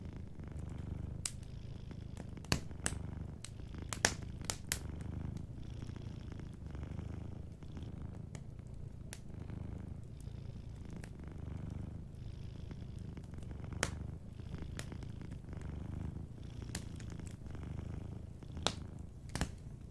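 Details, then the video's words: Soft continuous purring of a sleeping cat, deep and rhythmic, rising and falling with each breath, while a warm fire crackles with occasional sharp snaps in the background. "a Sleeping Cat 🐱💤Fireplace & Soft Purring"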